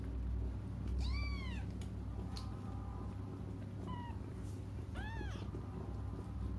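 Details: Cats crying while waiting for their mother; three high, arched mews with bright harmonics, spaced one to four seconds apart, over a steady low indoor hum.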